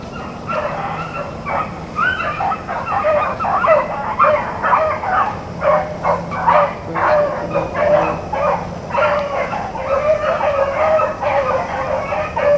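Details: A pack of Blackcreek and Bluetick rabbit hounds in full chase, April 4, 2013, baying loudly and continuously, with quick overlapping bark-like cries, about two every second.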